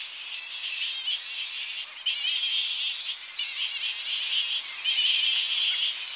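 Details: Tonga flying fox colony on the coast in early morning, bats returning to their roosting trees; dense shrill, rasping chatter from many animals at once, in bursts that surge and fade every second or two, close up.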